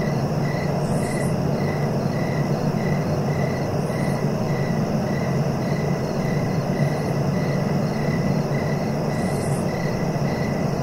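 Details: Crickets chirping: a steady, high, pulsed trill repeating about twice a second without pause, over a constant low rumbling background hiss.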